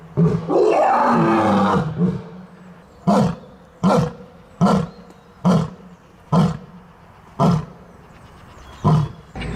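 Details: Lion giving a sustained, heavy roar lasting nearly two seconds, then a long series of about eight short, deep grunting roars, spaced roughly a second apart and slowing slightly toward the end.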